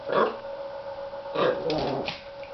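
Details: Riley, a Norfolk Terrier puppy, vocalises while playing with and talking to tennis balls: two rough growling yaps about a second apart, the second trailing into a longer grumble, over a steady indoor hum.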